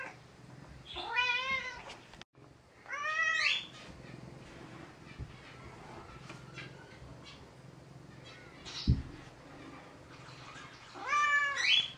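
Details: Indoor female gray tabby cat, very talkative, kept in a bathroom for several days while sick and medicated; three long, insistent meows rising and falling in pitch, spaced several seconds apart, with a soft thud and quiet room noise between.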